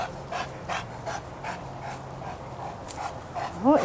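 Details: Dogs on a walk by a lake (German Shepherd Izzy, St. Bernard Chester, Golden Retriever Cody, Great Dane Clifford), with rhythmic panting breaths about three per second, a man talking softly, and a brief high squeal at the end.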